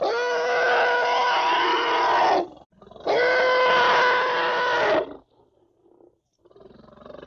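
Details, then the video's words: A little African elephant calls twice in quick succession. Each call is a raspy, tonal bellow of around two seconds with an abrupt end. Quieter low grumbling follows the pair. "how to litile elephant sounds |african litile elephant"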